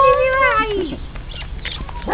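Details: Beagle puppy during its first steps, giving a drawn-out, tonal whine that slides downward in pitch over about one second. Quiet shuffling follows, and a short voice comes at the end.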